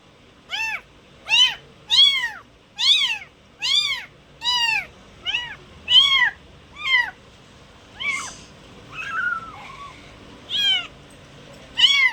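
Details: A cat gives a steady series of short, high, arched meows, about one every seven-tenths of a second, eleven or so in a row, with a softer drawn-out mew near the end.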